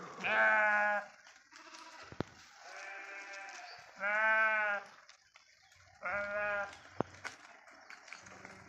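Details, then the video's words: Flock of sheep grazing on forest pasture; loud, harmonic, wavering bleats about every two seconds, alternating with softer, distant bleats from other animals. "అడవిలో పచ్చిక మేస్తూ సేవ తీరుతున్న గొర్రెలు"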